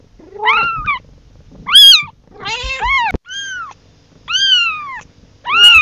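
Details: A kitten calling for its mother: loud, arched, strongly harmonic meows roughly every second, some quavering and pulsed, one with a rough buzzy texture, with a sharp click midway.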